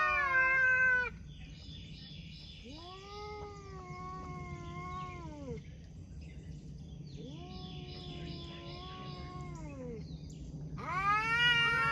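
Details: Cats talking with long arching meows, one loud meow at the start, two long wavering mid-pitched calls in the middle, and another loud meow to close; a steady low hum underneath.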